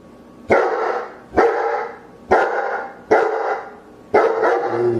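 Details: A dog barks loudly five times in just over five seconds, each bark a sharp harsh burst that fades with a short echoing tail, spaced about a second apart.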